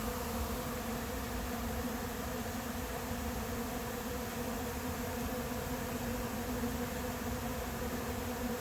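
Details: A swarm of honey bees moves into a vacant hive not yet prepared, in July; thick, constant buzzing hum of many wings, level and unchanging, filling the whole recording.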